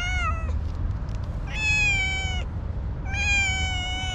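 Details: Wary orange tabby cat with a sweet, very cute voice gives three clear, long meows, each level then gently falling, spaced about a second apart, against a low background hum.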